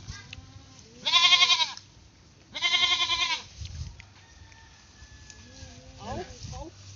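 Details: Playful pet goat bleating twice in quick succession, each bleat a quavering, buzzy cry under a second long, followed by quieter murmurs and faint background voices.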